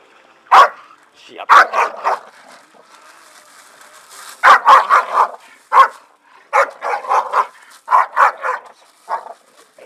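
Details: Staffordshire Bull Terriers (Canis familiaris) having fun in a garden; one barks in short, sharp bursts, often in quick runs of three or four.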